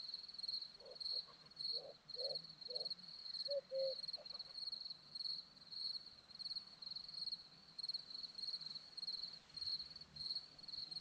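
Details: Crickets on a hillside in Zorlesti, Romania, trill in high pulsed chirps throughout, while a few short, lower-pitched calls from another animal break in near the start.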